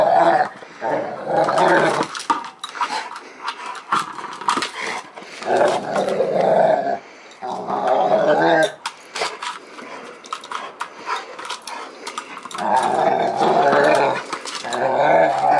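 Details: Two-year-old female Rottweiler service dog growling while playing with and talking to her ball, long rough rumbling growls in repeated bursts separated by brief pauses, with knocking play noises throughout.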